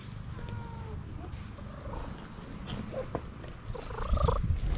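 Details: Female tabby cat in Istanbul seeking affection: a steady low rumbling purr throughout, with a faint, brief falling tone near the start and a few soft, higher, broken sounds toward the end.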